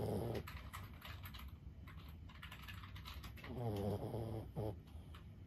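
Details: Lulu, a 15-year-old senior Boston Terrier, asleep and snoring: a low, rumbling, harmonic snore at the start, then two more snores close together near the end, with faint clicking sounds between them.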